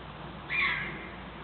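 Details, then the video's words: A pet red fox gives a single short, harsh, high-pitched yip at its owner against a quiet background. "Red fox yipping"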